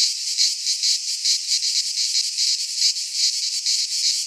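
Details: Cicadas singing in midsummer in a Greek pine forest: a dense, hissing buzz high in pitch, throbbing in soft pulses about every third of a second, with no other sounds.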